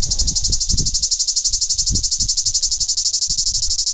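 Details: Cicada (tzitziki) in Greece, a daytime insect that grows noisier in groups, giving a shrill, high buzz throbbing in quick even pulses roughly ten per second, with soft low thumps underneath.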